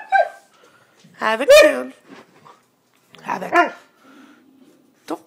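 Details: A male Siberian Husky talks back in drawn-out, wavering yowls that rise and fall, complaining because he is not allowed on the bed, while being told to get down.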